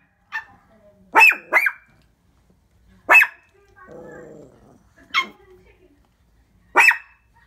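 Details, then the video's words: Pet Shih Tzu called Papa barking toward the window: a quick double bark, then single loud barks about every two seconds, with a short stretch of a woman's speech in the middle. "Who’s That Peeping Thru My Window"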